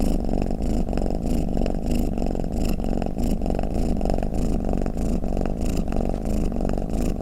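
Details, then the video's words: Low, unbroken rumbling purr of a pet cat, swelling with each breath at roughly ninety-odd pulses a minute, close and steady. "เสียงแมวคราง เสียงกรนของแมว | snoring cat"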